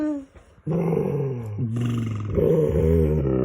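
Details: Male pet dog making funny noises during play with his owner indoors: a sustained, low, harmonic growling moan that starts after a short silence, dips briefly, then continues steadily and grows louder toward the end.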